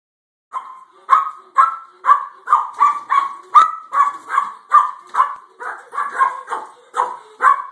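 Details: Two pet dogs barking at a cat in the front yard: a rapid, steady run of sharp mid-pitched barks, more than two per second, continuing without pause.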